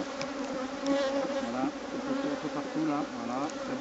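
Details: Honey bees flying all around visitors at an open hive during an inspection, slightly nervous; a dense, steady droning hum with wavering overtones rising and falling as bees pass close.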